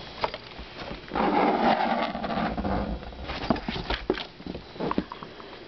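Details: A roughly 6-month-old male Maine Coon mix kitten playing in a box gives a drawn-out, rough-toned call amid scratching and rustling sounds.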